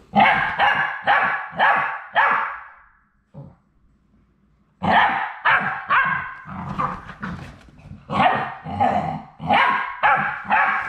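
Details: Final three Labrador Retriever puppies at High Desert Labradors on their last day before going home to new families, giving bursts of high, harmonic yips about twice a second, a short pause, then a rapid, irregular run of yelps.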